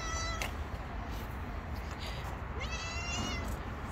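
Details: Hungry stray cat living on the street gives a faint, rising meow late in the clip after a brief earlier cry, over a steady low rumble of outdoor background noise.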